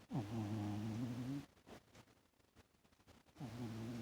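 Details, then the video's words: House cat Toaster snoring in his sleep. A strong, low rumbling breath lasts about a second and a half, then a quiet gap, then the next snore begins. "Toaster snores pretty loud in his sleep haha... who would have thought a cat actually snores haha..."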